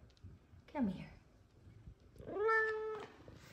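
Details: A female F2 Savannah cat gives two meows, a short falling mew, then a longer, steady, tonal one, while being greeted and called over.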